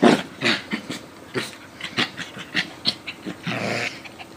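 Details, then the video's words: A Coton de Tulear and a Yorkie Lowchen mix at play, giving a quick run of rough growls, huffs and snorts every few tenths of a second, ending in a longer breathy rasp. "Dogs Playing"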